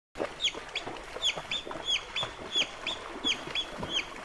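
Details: African wild dogs (Lycaon pictus) in their natural habitat in sub-Saharan Africa give high, bird-like chirps, each dipping in pitch, repeated in an uneven series.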